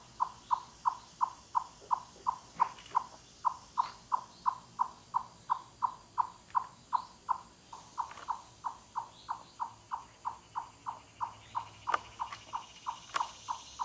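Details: Loud wood-knocking cluck series from a chipmunk in mountain forest, the animal calling with full body effort; hollow mid-pitched clucks repeated rapidly and evenly, about three per second, with faint bird notes and clicks behind.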